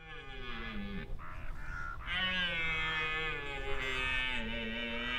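A red deer stag roars in the autumn rut, a deep, rough, drawn-out bellow announcing himself to stags and hinds.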